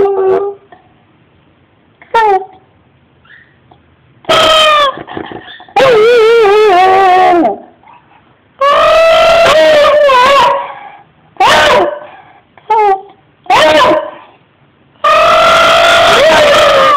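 A Beagle howls in long, wavering, harmonic-rich cries, starting with a few short yips.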